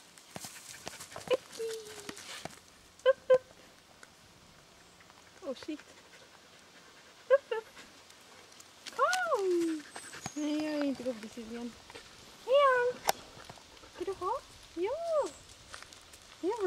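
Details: Two white Samoyed dogs out on a walk with their owner. Arched, whining calls rise and fall, some short and some drawn out, in clusters over the second half, between a woman's Swedish speech and panting.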